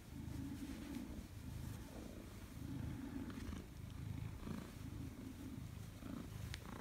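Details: Pet Maine Coon welcoming its owner home, recorded 4 December 2019; continuous deep purring pulses in a breathing rhythm about once a second, with a few soft clicks and rustles.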